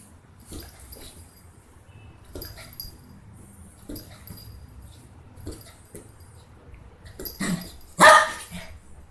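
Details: A 165-day-old Lhasa Apso puppy at play gives a single loud, sharp bark near the end, after scattered clicks, rustling and small thumps from handling and play.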